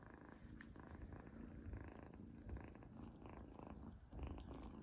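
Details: A young female kitten named Izzy purrs while enjoying her first treat; deep, continuous pulsing rumble dominates, mixed with short wet chewing clicks.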